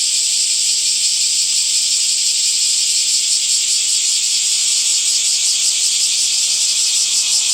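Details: A summer cicada chorus fills the air with a constant shrill buzz, gently pulsing at a quick, even rate and never pausing.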